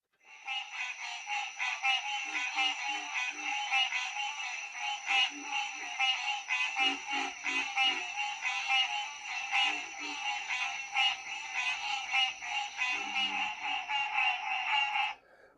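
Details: A dense chorus of male green tree frogs (Hyla cinerea) giving goose-like honking advertising calls to attract breeding females, with pig-like grunts of pig frogs in the background.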